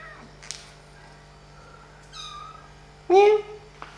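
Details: Kittens at play and feeding: soft, thin tonal cries near the middle lead into one loud, clear meow that rises and then slides down, with a few light taps around it.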